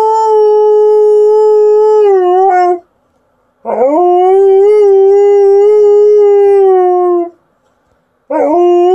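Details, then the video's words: Liza the Alaskan Malamute, a female, sustains long, steady, tonal howls of about three seconds each, each opening with a quick upward slide and ending in a slight downward bend, with short silent gaps between. "Alaskan Malamute showing off her howling skills"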